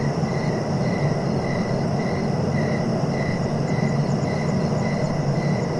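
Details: Crickets chirping at night-sleep pace, short even pulses repeating roughly twice a second over a steady, heavy low rumble that fills the background throughout.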